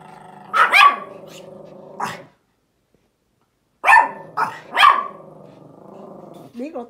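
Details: Small Pomeranian outside, barking at a big dog: two bursts of sharp, high barks split by a silent gap, with a person speaking German between and after the barks.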